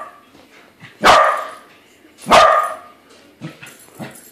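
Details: Pet corgi reacting to a corgi balloon with two strong, sharp barks about a second and a half apart, followed by a couple of soft low chuffs.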